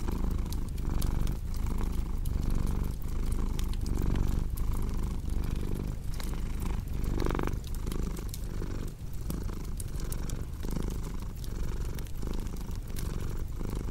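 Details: Cat purring in a deep, vibrating drone that pulses with each in-and-out breath, about 38 swells a minute, accompanied by the dry crackle and occasional louder snap of a fireplace.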